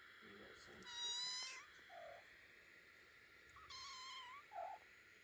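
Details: Two-week-old kittens calling: two high, thin, drawn-out meows about three seconds apart, with a few short soft squeaks between them, over quiet indoor background.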